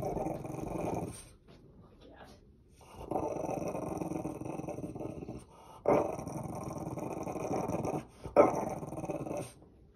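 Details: A French Bulldog in a laundry basket gives low, throaty growls in long rumbling bursts of a couple of seconds, stopping briefly and starting again several times.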